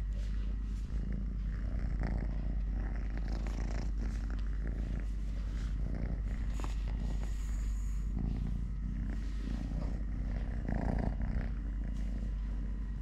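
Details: Totoshka, a three-legged cat, purrs loudly and evenly during play and feeding. The rhythmic low throb never stops, overlaid by soft scratches, rubbing sounds and a short faint squeak near eight seconds.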